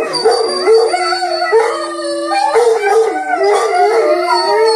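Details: Rhodesian Ridgeback pack howl: several dogs howl together in overlapping, wavering tones that slide up and down, one voice holding a steady lower note beneath higher, undulating howls.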